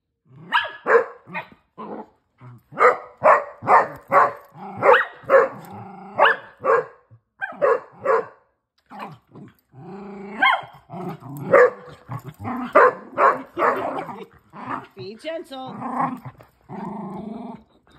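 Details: Female Basset Hound at play with her older sister and brothers, a steady stream of loud, gruff barks roughly twice a second, interspersed with growls and some longer, more tonal yelping notes toward the end.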